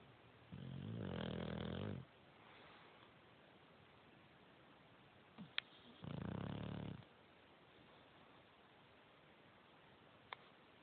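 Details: Bulldog asleep on a couch, snoring: two long, low, rumbling snores about five seconds apart, each roughly one and a half seconds, with quiet breathing between and a couple of faint clicks.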